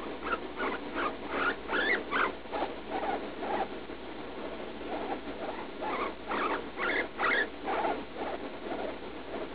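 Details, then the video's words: Pet guinea pig Leslie, about three years old, squeaking in pain while going to the bathroom after a lettuce treat, daily episodes despite antibiotics; rapid bursts of short, breathy squeaks, some rising into higher-pitched cries, repeated over several seconds. "Guinea pig in pain while pooping"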